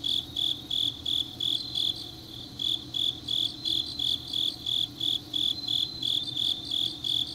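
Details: Grass insects calling deep into an autumn night, Changnyeong, Korea; sharp high chirps pulse steadily, dipping briefly near the second mark before resuming, over a faint background trill from more insects.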